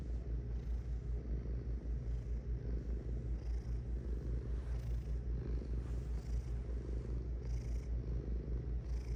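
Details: Purring cat: a continuous deep buzzing rumble made of rapid even pulses, softly waxing and waning with the animal's breathing.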